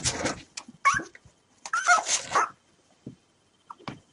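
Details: Five three-day-old puppies, rescued hours after birth, wait to be hand fed milk; brief high squeaky whimpers break through bursts of rustling and handling noise, with quiet gaps and a few faint short squeaks near the end.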